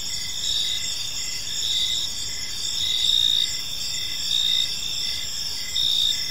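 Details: Gentle chirping of crickets in a serene park at evening: bright, piercing trills pulsing in loose, uneven bursts, swelling slightly louder toward the middle, over a quiet low-frequency background.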